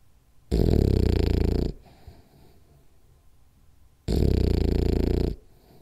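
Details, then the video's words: French Bulldog named Rolly asleep indoors in a ten-minute nap, snoring hard: two long, harsh, low rumbling snores about three and a half seconds apart, with soft breathing between them. "French Bulldog Snores Hard For 10 Minutes [Then Has Bad Dream]"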